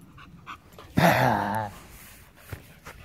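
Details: Chow Chow dog during play, giving one drawn-out, harmonic growling whine of under a second, rough and slightly wavering in pitch, set against quiet room noise with a few faint clicks before and after.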